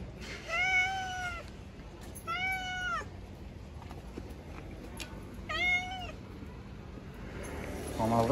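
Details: Hungry street cats receiving food meow three times in steady, drawn-out, slightly arched calls about two seconds apart, each near a second long, against faint outdoor hum and a brief voice at the close.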